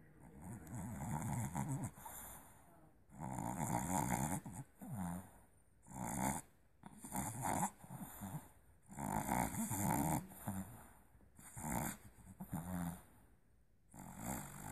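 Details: Olive, a Boston Terrier puppy, dreaming: rasping, snuffly snore-like bursts with harmonic overtones, about eight bursts over fifteen seconds separated by near-silent pauses, in a quiet indoor setting.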